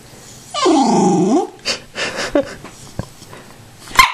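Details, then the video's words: Tibetan Terrier throwing a tantrum indoors after being denied more popcorn: one drawn-out, tonal, whining howl that rises and falls over about a second, followed by small huffs, clicks and a woman's voice. "a Tibetan Terrier Talking for Popcorn"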